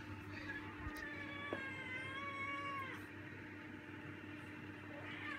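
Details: Hungry male pet cat asking for food indoors: one long drawn-out meow, rising then falling, with strong even harmonics lasting about a second and a half, over a constant low household hum.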